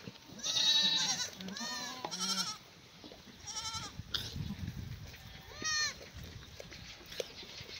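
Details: Black goats on a free-range farm near Mucheoksan, Gimhae, South Korea, on a sunny May morning while fed cut strawberry branches and leaves; loud quavering bleats open the clip, then fewer overlapping calls sound amid low rustling.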